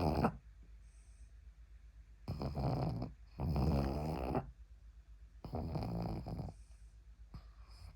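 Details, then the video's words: Sleeping pug pillowed on someone's arm gives three heavy, raspy snores, each lasting around a second, separated by quiet pauses of one to two seconds in a small room. "퍼그 키우기 전 꼭 알아야 할 코골이. 팔베게 중"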